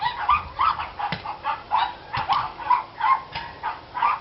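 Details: Several dogs barking, recorded 29 March 2013: rapid high yappy barks repeated roughly every third of a second in an unbroken string, with a couple of sharp clicks.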